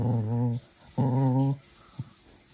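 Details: Two sustained low growls from a small cocker spaniel named Manfred at evening playtime, each about half a second long, followed by a faint short grunt.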